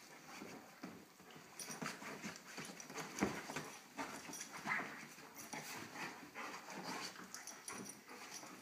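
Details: Little dog and big dog at play: breathy panting and short growly huffs repeat in rapid, uneven bursts, with one sharp louder thump-like sound near the middle.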